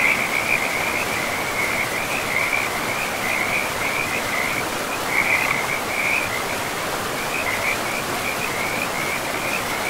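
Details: Frog chorus by a river in a forest: an almost unbroken series of high, pulsing trills with short gaps, rising slightly in loudness at times, over the continuous hiss of running water.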